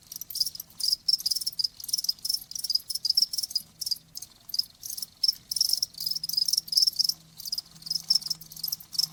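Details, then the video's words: Cricket chirping as a nature sound for tinnitus relief and sleep, high shrill pulsed trills in rapid bursts separated by brief gaps, steady and continuous, with a faint low hum underneath. "귀뚜라미 1시간"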